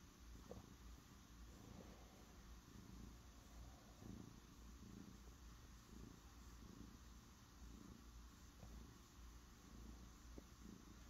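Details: A cat purring steadily indoors: a low, rumbling purr that swells in soft rhythmic pulses under a second apart, each breath cycle clearly audible, with a faint background hiss.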